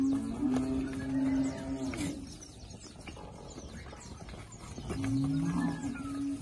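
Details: Bred Girolando heifers, one of 40 kept with a young Girolando bull near Passos, Minas Gerais, Brazil; a sustained low moo opening the recording and another returning near the end, separated by rustling farmyard noise.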